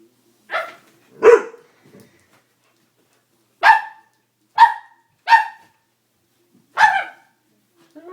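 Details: Doberman scared by a prank, giving six loud, harsh single barks spaced irregularly across about seven seconds, with two quick barks early, a long pause, then four more; otherwise quiet.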